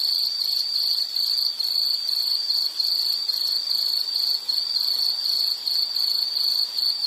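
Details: Shrill, even insect trill at high pitch, pulsing rapidly in short runs separated by tiny breaks, heard continuously in a nature sounds recording meant for study and sleep.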